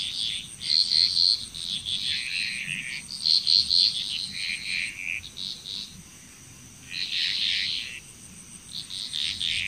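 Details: Chorusing frogs from Bali, Indonesia: loud clusters of rapid, rattling notes in bunches, with a quieter pause midway, all over a thin, constant insect whine.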